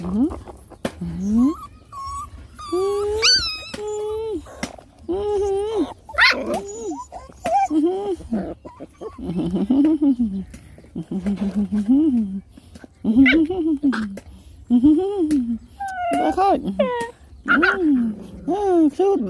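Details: Hungry puppies suckling from their mother whimper repeatedly, short arched whines about every second, some higher squeaky yelps mixed in, with rustling between calls.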